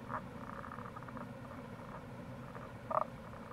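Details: Rana tagoi, Tago's brown frog, by the Kamo River gorge in Itoshima, Fukuoka, in April; soft brief croaks early on, then one louder short grunting call near the end, over constant water noise.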